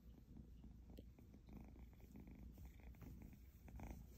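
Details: Egyptian Mau kitten giving a close, even purr, a low rumbling vibration in quick regular pulses, with a small click near the one-second mark.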